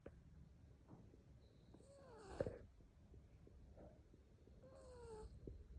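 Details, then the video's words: Sleeping cat snoring, two breaths each ending in a squeaky, falling, whistle-like tone with a soft hiss, over low rumbling breath noise. "Hilarious cat sleeps and snores."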